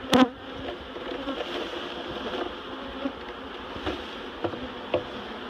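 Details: Honeybees being relocated from a barrel to a new home at Miss Bee Haven: a dense, steady swarm hum with banded drone layers, broken by a few sharp clicks and knocks from the handling.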